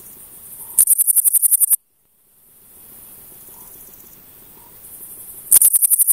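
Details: A male Frivaldszky's bush cricket (Pholidoptera frivaldskyi) sings bursts of rapid, high, dry chirps, then pauses before starting again; recorded 5 July 2023 at Oleksandrivka, Kirovohrad Oblast, Ukraine.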